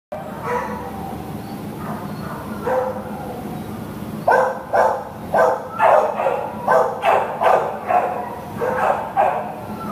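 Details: Pit Bull terrier at a shelter, up for adoption, barking in short bursts, a few spaced barks at first, then a fast run of about eight loud barks in the last half, over a steady kennel hum.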